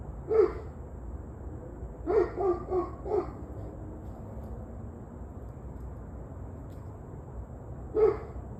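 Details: Barking dog recorded 21 November 2023, 7:06 pm, giving one bark, then a quick run of four barks, a long pause, and one final bark. The barks are mid-pitched and hoarse over a constant low rumble.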